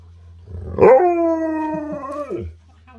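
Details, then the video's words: Siberian Husky eager to head outside to play lets out a single clear howl, opening with a sharp rise, holding a steady, harmonic tone for about a second and a half, then dropping away, over a low background hum. "Husky's can't wait to get outside and Play!"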